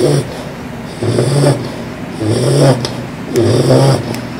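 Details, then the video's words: A four-month-old female English Bulldog puppy snoring while asleep indoors. Loud, rumbling snores come in a steady rhythm, roughly every one and a quarter seconds, with four long throaty pulls and quieter breathing between them. "My Loud Snoring Bulldog Puppy!"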